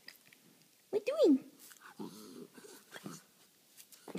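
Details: Female schnauzer named Panda, vocalizing indoors to get attention: one short moaning whine that rises then falls, followed by softer low murmurs and faint room noise.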